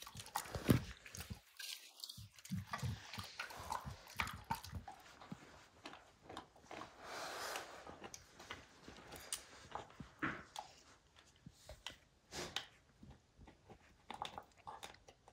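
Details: Max, a dog, works steadily at destroying a baseball's hide: dense, irregular clicking and tearing bites run continuously, with louder snaps now and then and a brief quiet gap near the start.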